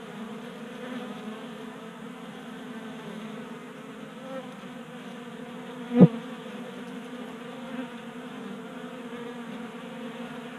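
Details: Several honey bees feast at a 3D-printed feeder on a workbench in Colorado, active in unseasonal 60-degree January warmth. Their continuous low, even buzzing fills the clip, with a single brief knock partway through.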